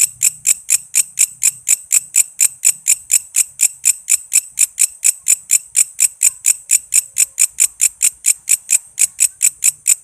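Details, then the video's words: Rhythmic chirping of a walang kece katydid, played to teach songbirds like shama, leafbird and magpie-robin: evenly spaced shrill ticks, near two per second, running unbroken, with a faint low murmur early on. "Suara walang kece gacor buat masteran murai,love bird,cucak ijo,kacer dan burung ocehan lainya"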